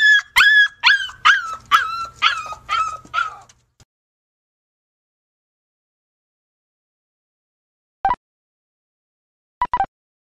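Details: Jack Russell Terriers at blanket tug-of-war play: a quick run of about eight sharp, high yips, each dropping in pitch, then silence broken by two brief soft clicks.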